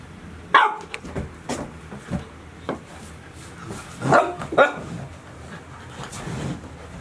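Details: Golden Retriever puppies, 72 days old, one of a litter of six, recorded in July 2018: a few short sharp barks and yips, a pair close together near the middle, over steady background noise.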